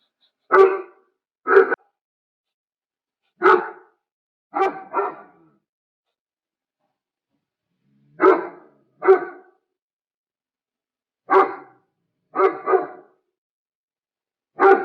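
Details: A German Shepherd barks repeatedly over about fifteen seconds: deep, short barks spaced out singly and in quick pairs or triples, with silence in between.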